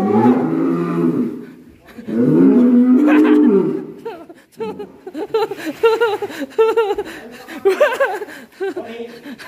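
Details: Agitated black bull, butting in Alas Purwo village, Indonesia: two long, low moos back to back, followed by lively talk and laughter.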